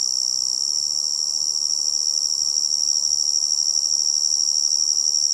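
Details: Continuous shrill trilling of a tree cricket, level and unchanging from start to finish, with a faint low background hiss beneath.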